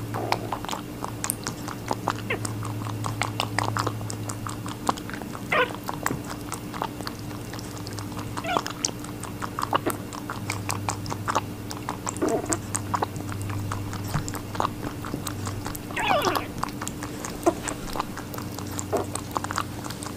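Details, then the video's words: Rabbit eating watermelon: dense, rapid crunching and wet chewing clicks packed across the whole stretch, with a few louder bites standing out, over a steady low electrical hum. "Rabbit eating a watermelon"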